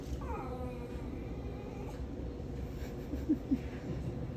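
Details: A Miniature Schnauzer refusing his food because he saw a pack of cookies gives a brief, high, wavering whine that slides down in pitch while his owner tells him there are no cookies; whine.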